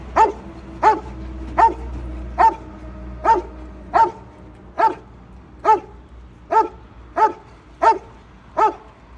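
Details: Rottweiler named Bubzee barking aggressively from his Isuzu pickup truck on a highway: twelve loud, clipped single barks spaced under a second apart, steady and evenly repeated over low road rumble.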